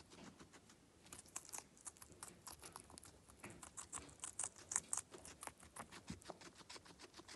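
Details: Close-up crunching from a feeding guinea pig indoors, a fast, uneven patter of sharp, brittle bites with several louder cracks partway through, resembling light tapping.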